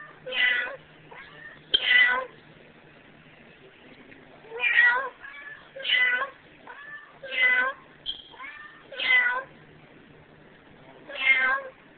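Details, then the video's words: Pet cat Emo, a female, trades meows with a human partner in a final duet before being rehomed. Eight strong meows come in an irregular string, with softer short calls between them. "Nice Kitty (The last kitty Duet)"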